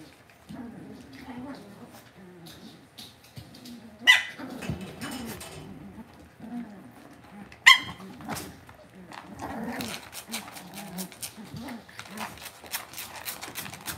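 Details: Cavalier King Charles Spaniel puppies raised in a home puppy pen give two sharp, high yipping barks about four seconds apart, heard over steady human talking and soft indoor rustling.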